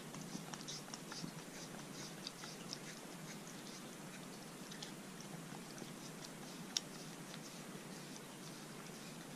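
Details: Arthur the Corgi eats a dog-safe homemade popsicle on a hot day. Soft, quick, irregular licking and crunching clicks come in close succession over a steady indoor hiss.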